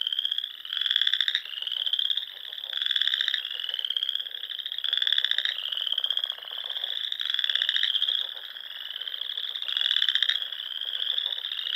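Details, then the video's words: Frogs singing at dusk in spring on the rolling dunes and ponds of Nebraska's Sandhills; steady massed buzzy trills, rising slightly, with prominent nearby calls punching through about every two seconds. "RELAXING SOUNDS OF FROGS"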